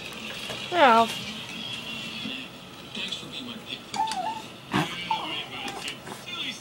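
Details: Pet miniature schnauzer indoors, crying and begging to be let onto the bed; a sharp high squealing whine slides downward near the start, then softer whimpers follow, with room noise and faint voices behind.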